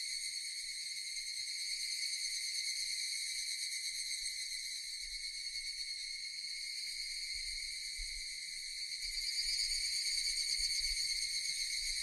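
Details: Japanese cicadas buzzing in an unbroken, piercing chorus at an even level, edging louder near the end, with a soft low rumble underneath.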